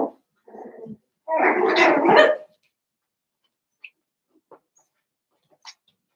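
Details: Indoor pen of seven-week-old Cavalier King Charles Spaniel puppies from Daisy's litter: a soft whine, then one long, harsh, drawn-out bark-growl of over a second, followed by quiet with only a few faint squeaks.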